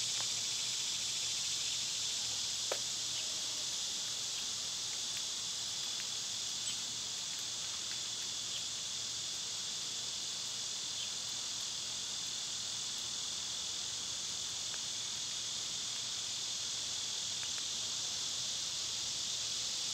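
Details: Summer cicadas in a loud, steady chorus: a dense, unbroken high-pitched hiss that holds without pause through the whole stretch, with a few faint, brief clicks and chirps beneath it.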